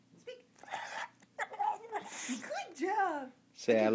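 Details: Oscar the bulldog talking while doing karate tricks, producing drawn-out, whiny, rising-and-falling moaning vocalizations, with a person's voice prompting him to say "I love you".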